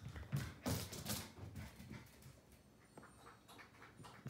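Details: A Keeshond puppy gives soft, breathy whines and short yips, pleading with a Siamese cat to be its friend.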